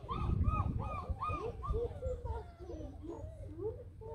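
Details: Six-week-old Hovawart puppies from the Düringer Moor litter, nearly house-trained, give a rapid run of high arched whimpering squeaks, about four per second, each rising then falling, over low rumbling background noise.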